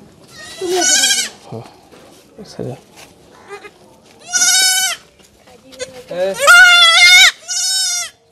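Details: Young goat undergoing castration gives four loud, quavering bleats, the third wavering and longest. Brief bursts of human speech and handling noise fall between the cries.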